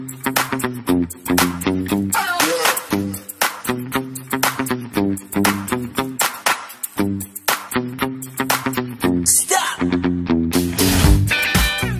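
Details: Upbeat electronic dance music with a pulsing bass line and steady beat, with no animal sounds.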